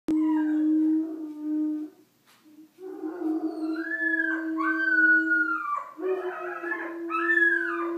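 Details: An Irish wolfhound and a vizsla howl together: one holds a low, steady drawn-out tone while the other rises and falls in higher wavering arcs, with a short break after two seconds before both resume.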